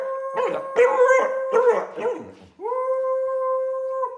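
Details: A three-year-old female Samoyed called Middle howls at her birthday: a few wavering voiced notes, then one long steady held howl lasting about one and a half seconds.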